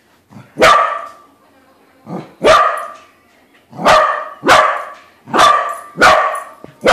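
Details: Excited barking from a pet corgi discovering its balloon look-alike isn't real: six loud, sharp barks, each preceded by a small yip, coming roughly every second.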